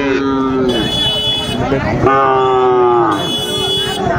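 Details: Sahiwal bull calves at a cattle market where a Dhaka farmer buys on 20 January 2025: two sustained, slightly wavering moos, one opening and one near the middle, beneath men's haggling voices.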